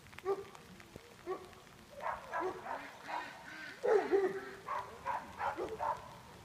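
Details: Greater Swiss Mountain Dog Nash, a junior herd dog at work herding, lets out a run of mid-pitched barks and yips, with human voices mixed in amid outdoor noise.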